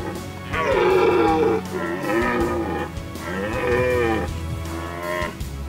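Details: Male red deer (Cervus elaphus) roaring in the breeding season: three drawn-out, moaning calls of about a second each, bending up then down in pitch, separated by short pauses, with soft background music throughout.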